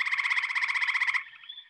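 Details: A single male gray tree frog gives a loud, musical trill of rapid pulses lasting just over a second, with other males and spring peepers calling in the background.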